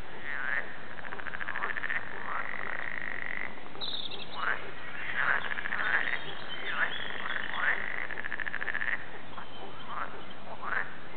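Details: Several frogs at Warande, Tilburg call in turn and together: buzzy pulsed trills lasting a second or two, broken by short sharp croaks, in a loosely overlapping steady chorus over soft hiss.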